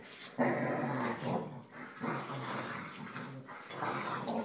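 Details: Indoor play between a Boxer and two Jack Russell Terriers: loud, throaty growling in rough bursts, broken by brief pauses, with scuffling noise between the growls.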